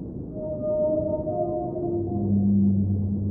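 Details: Whale singing underwater: long, low moaning tones that hold and slowly bend, a higher note fading as a deeper, stronger moan swells in the second half, over a constant rumbling underwater wash.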